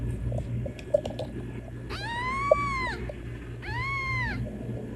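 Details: Two long, level, plaintive meows about a second each from a kitten calling its mother, separated by a short pause, with a low steady hum and a couple of sharp clicks behind.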